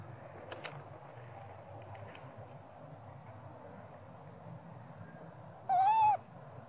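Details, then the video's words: A spoiled little monkey wants its mother Popeye to nurse him. Near the end comes one loud, wavering tonal cry with stacked harmonics. Before it, faint clicks and a constant low background rumble. "Small spoil monkey cry & screaming coz he need mom monkey popeye"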